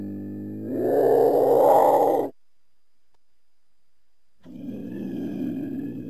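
A cougar gives a low moan that swells into a harsh, raspy yowl, then a rougher growl.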